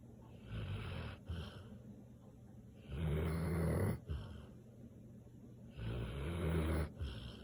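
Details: Snoring Samoyed: deep, buzzy, rattling breaths with a strong low hum, coming in long surges about every three seconds, separated by softer, quieter breathing in a still room.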